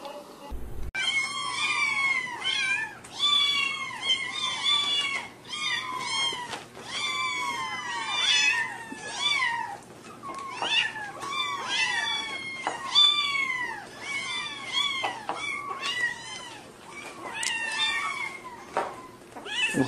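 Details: Kittens meowing in a cute compilation; a rapid run of high, arched, harmonic mews repeated roughly every half second for twenty seconds, overlapping as several young cats call together.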